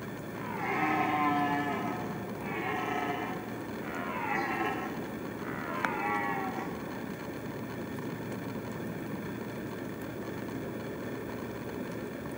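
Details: Red deer stag roaring during the rut season: four loud, hoarse harmonic bellows in quick succession over the first six seconds, then only a steady low background hiss.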